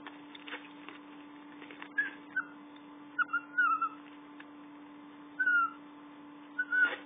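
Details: Twiggy, a Chihuahua puppy, wanting attention: brief thin high whines, several short rising-and-falling tones scattered through the recording, separated by quiet gaps, over a steady low electrical hum.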